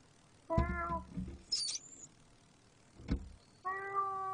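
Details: Cat giving a short falling meow, then a brief high squeak and a sharp knock, ending with a long steady flat-pitched meow; quiet background with low hum.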